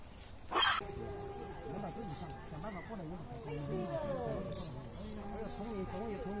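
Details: Baby macaque in the wild, bullied by its mother, crying loudly: a continuous run of wavering, harmonic whimpering cries that rise and fall in quick arcs, over a steady faint tonal hum, after an initial sharp noise burst.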